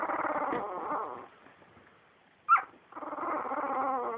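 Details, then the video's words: Litter of two-week-old puppies giving soft, wavering harmonic grumbles, a pause, one brief high squeak, then the low murmuring whine resumes. "2week old puppies making cute noises"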